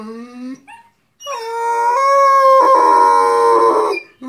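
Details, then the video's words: Harlequin Great Dane pet howling indoors while watching videos of other dogs howling; a short rising tone, a pause, then a long sustained harmonic howl with wavering pitch for about three seconds, preceded by a person's coaxing voice. "funny howling harlequin great dane"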